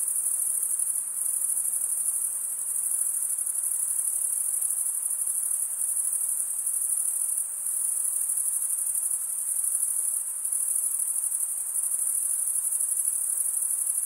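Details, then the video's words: Male crickets stridulate, scraping wing over toothed wing vein. The result is an unbroken high-pitched buzzing trill with a slight shimmer, holding level throughout, except for brief dips near the middle and end. "Most relaxing cricket sound"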